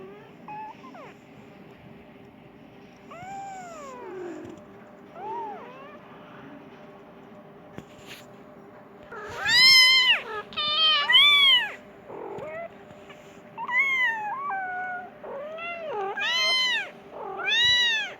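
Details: Persian cat; meow; kitten calling for its mother, wanting food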